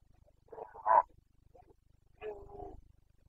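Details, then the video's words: Red deer stag of the Carpathians, Bucovina, Romania, calling in the rut on 29 September 2022. Two rough, moaning roars about a second and a half apart, the first rising to a stronger peak, over a faint low rumble. "Boncănit / Carpathian stag Breeding season"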